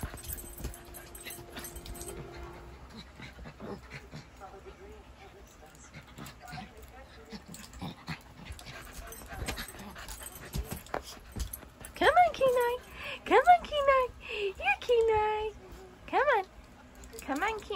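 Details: Siberian Husky puppy at play with a shih tzu as someone tries to get it up on the bed: quiet shuffling at first, then a quick burst of about six high, curving whines and yelps near the end, amid repeated human coaxing.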